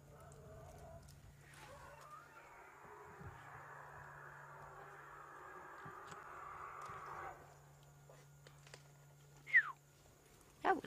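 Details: African elephants at sunset, in August, give a long, harsh, roaring bellow, then sharp trumpet-like blasts, apparently upset elephants shouting at each other rather than at lions.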